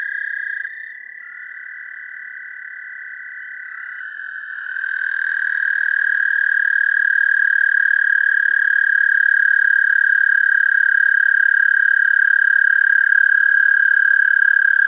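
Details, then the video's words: American toads recorded through a parabolic microphone: a slightly higher trill fades out and a second toad's long, level, musical trill swells in and holds steadily for about ten seconds. "Songs of the American Toad"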